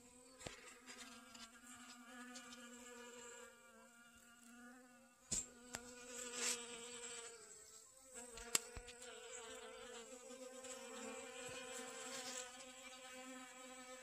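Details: Honey bees collecting pollen from sunflowers in a garden on 25 August 2021: a steady droning buzz with a clear harmonic ladder, wavering slightly in pitch as bees move, with faint clicks throughout.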